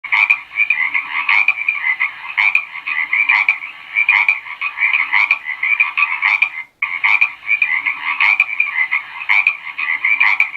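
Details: Frogs croaking in a dense chorus: buzzy, trilled calls overlap continuously, with louder bursts recurring about every second and a brief break in the sound near the end.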